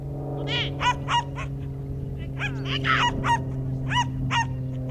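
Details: Young Schipperke yapping repeatedly at a September 2010 herding training course, bright clipped barks roughly every half second, over a steady low mechanical hum.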